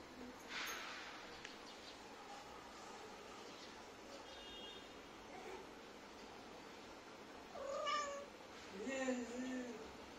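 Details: Domestic cat from a funny cat compilation giving two short harmonic meows near the end, the second rising then falling, over a steady indoor hiss with faint human voices earlier.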